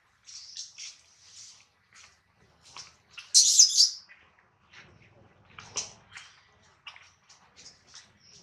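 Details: Baby monkey Adler, held in the hands of a small monkey, cries while missing his mother and hungry: short, thin, high-pitched squeaks in scattered bursts, with a louder shrill screech partway through.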